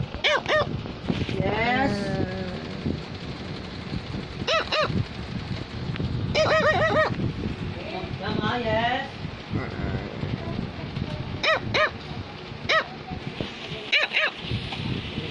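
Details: A female Cavalier King Charles Spaniel gives sharp, yappy single barks while being urged on and praised by a person, with music in the background.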